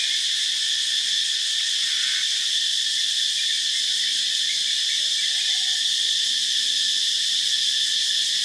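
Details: Loud morning cicada chorus in Phuket: an unbroken, shrill, high buzzing wall of sound at constant intensity, a faint lower hum layered underneath.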